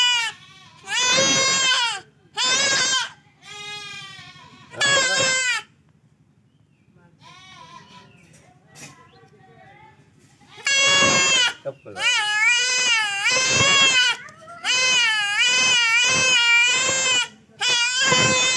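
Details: Male goat bleating during castration by hand: loud, quavering, strongly harmonic bleats in bursts of about one second, repeated in a run, with a quiet pause and low human voices between them.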